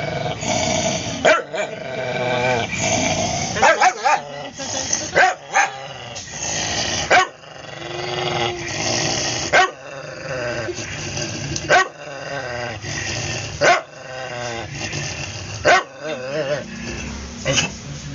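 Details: Cody, a former stray aspin recently adopted, keeps up a continuous warbling growl interrupted by many quick, sharp barks, some in tight pairs, across the whole stretch.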